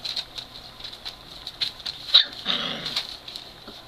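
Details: Three-week-old Great Dane puppies at play: a brief whiny, whimpering puppy cry rises near the end among soft scuffling and pattering, over a steady high-pitched hiss.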